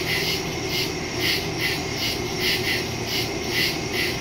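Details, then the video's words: Crickets chirping in the woods after dark, September 2, 2023, phone and stereo microphone: shrill pulsed trills rising and falling in beats about every half second, over a constant low background hum. "Crickets in the woods at night"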